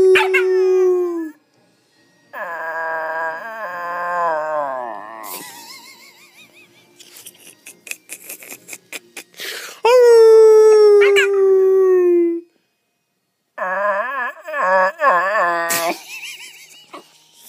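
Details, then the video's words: Pet dog howling together with a person in a howling session; drawn-out wavering howls with bright harmonics, broken by pauses, with a human howl mixed in, one long falling tone. "My dog can't howl"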